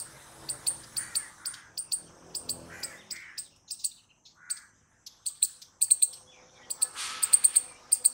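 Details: Squirrel sounds: crisp high chirps mixed with hoarse lower notes, thinning to scattered calls midway, then a fast, dense burst of sharp chirps at the close.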